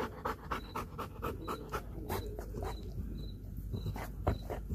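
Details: Belgian Malinois named Kayne panting after a good workout while eating a whole raw chicken, close up: quick rhythmic breaths in a steady series of soft bursts, with a faint repeating high electronic beep behind.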